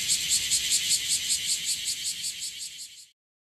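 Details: In Okinawa, bear cicadas, more numerous than the day before, give a loud, harsh buzz pulsing rapidly, about two or three throbs every second.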